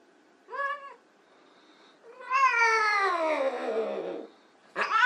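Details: Playful white Persian kittens indoors: a short meow, then a loud drawn-out meow sliding downward over about two seconds, and a sharp rising meow cut off at the end.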